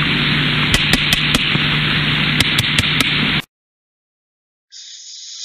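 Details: A small group of about three or four sperm whales gives sharp clicks, likened to a hammer hitting a nail, tapping in quick regular runs over a steady hiss of underwater noise.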